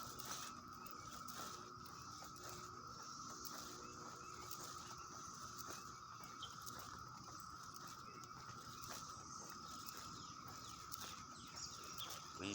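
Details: Many cicadas call together early on a Sunday morning in the first week of June 2021 in Leesburg, Virginia, in a continuous, even drone holding one pitch, a thin hissing high layer above and faint clicks and rustles beneath.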